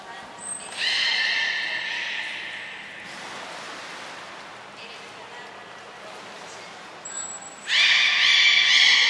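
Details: Beluga during a training session at Port of Nagoya Public Aquarium, 7 June 2022, with Gray, Nana and Mirai. Brief thin high whistles sound, each followed by loud, harmonic, buzzy calls: one lasting about two seconds, another starting near the end.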